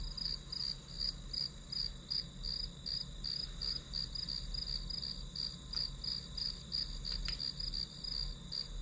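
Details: Grass insect chorus used as study white noise, sharp bright chirps pulsing roughly three times a second in an even stream, one faint click near the end, soft low rumble beneath.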